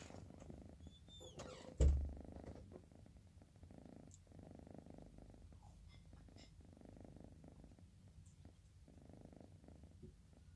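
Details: Bocil, an orange cat nodding off, breathes in gentle, raspy snoring puffs recurring every couple of seconds; a sharp knock or door bang sounds early on.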